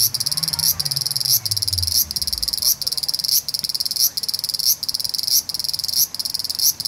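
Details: Large brown cicada singing on a park tree branch in the evening, after 6 pm: a high, rasping buzz broken into short bursts roughly every 0.7 seconds, with a low rumble sweeping downward and fading early on.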